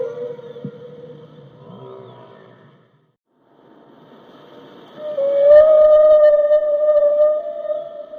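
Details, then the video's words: Whale song, described as soothing, with a steady tonal moan, a short near-silent gap, then a louder sustained harmonic moan that rises slightly and holds, with faint low knocks. "the sound of a whale"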